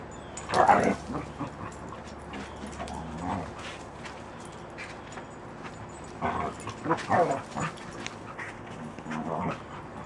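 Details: Puppies playing outside make growly, dinosaur-like vocal bursts, with louder outbursts near the start, around three seconds, a cluster between six and seven seconds, and another near the end, over a low background.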